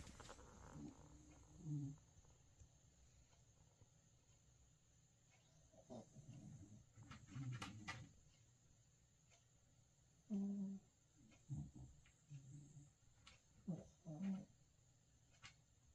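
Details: Sleeping puppy making sleep-talk noises, with short low grunting and groaning bursts, mostly in the second half, some in quick pairs, between quiet breathing pauses in a calm room.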